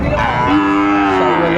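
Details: Brief, sustained harmonic moo from a Sahiwal bull calf at a cattle market late in the day on 27 December 2024, holding a level tone, with market hubbub and faint music behind.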